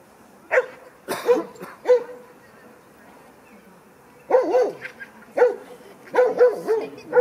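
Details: Barking during play at the first play session of Franzi, a 16-week-old female Kleiner Münsterländer puppy, among mostly adult dogs; a short bark, then a cluster of three, a pause, and a lively run of sharp barks.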